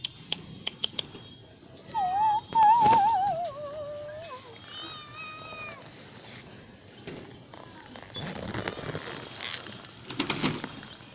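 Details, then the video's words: Perhaps begging for food, a poor cat utters a long wavering, warbling meow that slides gradually downward, then a shorter bright harmonic meow, amid clicks, rustling and soft handling noises. "CAT MEOW"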